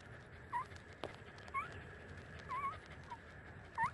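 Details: Thirty-day-old puppies nursing from their mother give a few short, high squeaky whimpers, each rising and falling, spaced about a second apart over a low background hiss.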